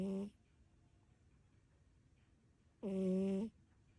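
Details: Tabby cat Kiki snoring while asleep indoors: two loud, harmonic, droning snores, a brief one at the start and a longer one near three seconds, separated by quiet breathing in a still room.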